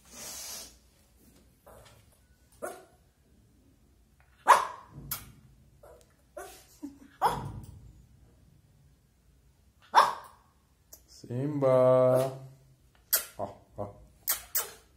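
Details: Lhasa Apso puppy Simba, a pet, stuck on a high bed and afraid to jump while eager to play with the owner's dad; scattered short yappy barks in irregular bursts, with a drawn-out tonal whine in the middle, then quick barks again.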